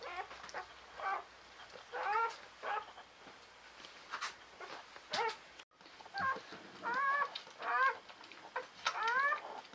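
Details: Squeaky, bending whines from newborn Czechoslovakian Wolfdog puppies of Orizon's five-female litter, November 2020, come in clustered bursts of rising and falling cries, with a short gap midway and soft handling noise.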